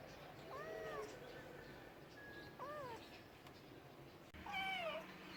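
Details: Cat meowing three times, the first two short and rising then falling, the last louder and more urgent, over a low background hum.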